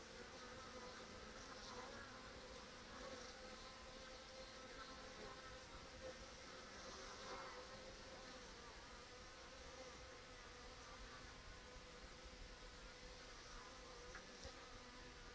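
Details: Honey bee colony, still producing brood, crowding a mouse excluder's restricted entrance on 14 October while foragers carry ivy pollen; continuous many-winged humming drone, even in level, with faint passing buzzes rising and fading throughout.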